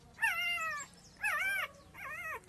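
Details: Puppy of a street dog crying for its mother and for milk: three separate high whines, each about half a second long, starting with a quick rise and then falling, harmonically rich, evenly spaced in fairly quiet surroundings.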